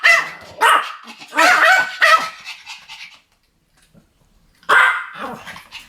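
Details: Duet barking by Pomeranians: a cluster of shrill overlapping yaps over the first three seconds, a silent gap, then another burst of high barks near the end.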